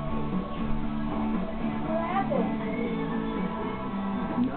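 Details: Guitar music with sustained harmonic tones plays throughout. No clear animal voice stands out above the instruments.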